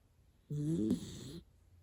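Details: Hana the miniature dachshund is fast asleep, giving one loud, rough snore like an old man's. It starts abruptly, rattles with a nasal buzz for almost a second, then fades with a wavering tail. The room is otherwise quiet.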